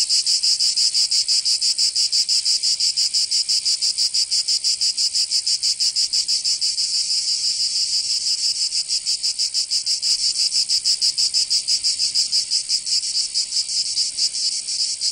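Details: Summer chorus of cicadas in Provence in the south of France, a dense shrill buzz throbbing in rapid even pulses for the whole stretch, easing slightly in the middle, with no other sounds.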